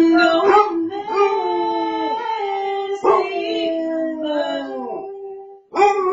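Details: Indoor Basset Hound singing along with its owner's song, howling in drawn-out wavering tones that slide gently downward, with short yips breaking in between two sustained howls lasting around two seconds each.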